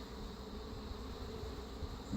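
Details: Honey bee colony from a caught feral swarm with Africanized genes, grown defensive, during queen replacement with an Italian queen; a steady low droning hum of many bees at the open hive, with no distinct individual calls.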